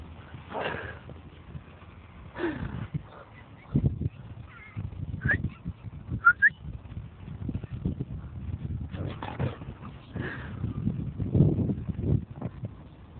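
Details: Luther the lurcher playing wildly in "attack mode", dive-bombing a person: short whining, whimpering cries in brief bursts a second or two apart, over thumping and scuffling, with a person's voice heard in between.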